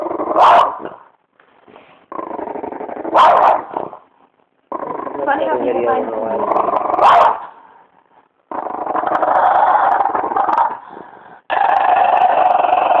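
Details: Beefy, a French bulldog described as disturbed, growls in long sustained harmonic bursts, some rising into strained whines, broken by short pauses; a person speaks to him between the growls.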